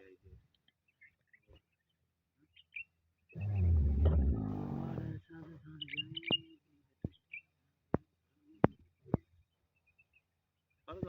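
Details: Female camel in a breeding setting lets out a deep, rough, gurgling groan of about two seconds, then quieter grumbles, with sharp clicks or knocks and faint bird chirps in the background.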